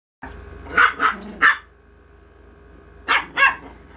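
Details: Yorkshire Terrier barking indoors: three short, sharp barks in quick succession, a pause of about a second and a half, then two more barks; low steady hum underneath.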